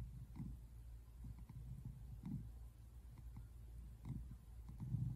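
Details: Tabby American Shorthair tomcat relaxing on a couch and purring, recorded indoors on February 8, 2024; deep, muffled rumble in gentle rhythmic waves with a few slightly louder bursts near the end.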